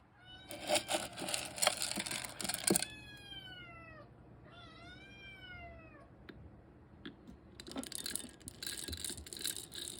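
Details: Kitten being given weaning food, mewing in a series of high, downward-arching harmonic cries in the middle; loud broadband clattering and grinding bursts before and after.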